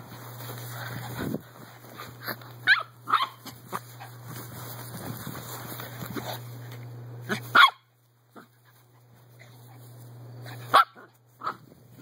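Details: Female Miniature Poodle running around her back yard gives a few short, sharp barks spaced several seconds apart, with a steady low electrical hum underneath and quiet gaps between outbursts.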